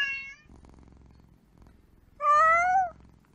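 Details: A single kitten's meow, a clear tonal cry lasting under a second that holds fairly level and droops slightly at the end, preceded by the tail of an earlier call and faint low room hum.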